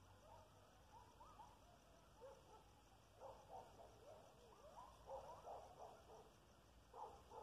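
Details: Coyotes about half a mile away give a distant chorus of short yips and quavering wails, bursts clustering from the middle onward and rising briefly in loudness, over steady background noise.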